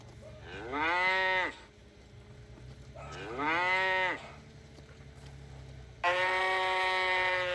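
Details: Cow giving three moos: two arched calls that climb then drop, roughly two seconds apart, followed by a strong steady flat moo; light low background hum throughout.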